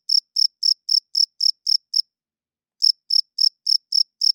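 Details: Cricket chirping loudly at night, a sound males make by rubbing their wings to attract females and establish territory; clean high-pitched pulses about four per second, a pause of nearly a second, then the chirping resumes; no other sounds.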